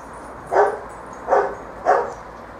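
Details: Bearded Collie puppies from a litter playing on a roof terrace; three short, sharp mid-pitched yaps spaced roughly 0.7 seconds apart, each a brief bright burst, over a low steady background hum.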